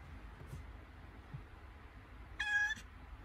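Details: Domestic cat in labour, having contractions, gives a single loud harmonic meow near the end, steady and slightly rising, after a faint earlier squeak, over low indoor room hum.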